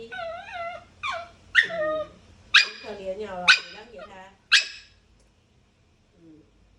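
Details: Dog giving a run of high, harmonic whining yips, about six bursts over four seconds, some rising and others sliding down, strong and nasal, followed by near silence and one faint whimper at the end.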